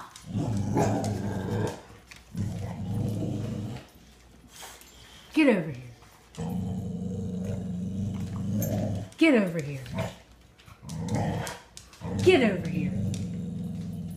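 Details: Young female American Bully, eight months old with poor eyesight, growling indoors at a plastic skull she fears. Deep, sustained, rumbling growls come in several long bouts, broken by a person's coaxing voice calling her over.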